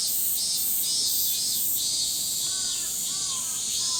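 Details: Summer forest resounding with a great Min-min cicada chorus, continuous shrill buzzing pulsed rhythmically, while a bird adds a few short clear whistled notes during the final second and a half.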